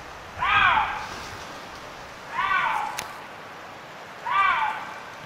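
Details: A young male Eurasian lynx calls during the mating season, giving short, arching, nasal mewing calls repeated about every two seconds.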